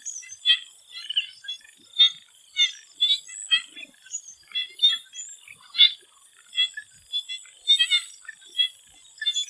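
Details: Before sunset in a Thailand swamp, frogs give short high-pitched clicks and chirps in loose rhythmic bursts, several animals overlapping, with a persistent high buzzing backdrop.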